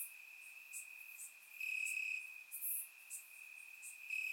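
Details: Summer-night crickets chirping in grass in Bulgaria: a sustained high trill that grows louder for about a second midway, with brief very high chirps scattered above, recorded through a surround microphone.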